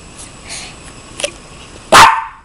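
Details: Maltese dog letting out a single loud, sharp bark near the end after quiet room noise and a faint tap.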